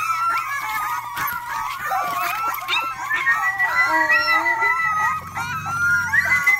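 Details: Rottweiler puppy giving its first barks: high, wavering yelps and howl-like cries in quick succession, bending up and down in pitch, over a steady low hum.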